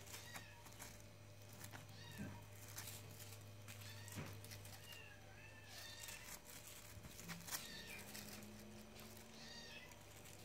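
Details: A male Maine Coon cat gives soft, drawn-out meows against a steady low hum.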